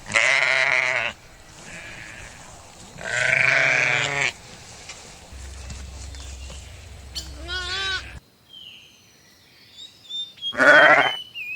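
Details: Lamb bleating on a farm: loud, wavering bleats at the start and around three seconds in, a higher quavering cry near eight seconds and another sharp bleat at the end, with a low hum between.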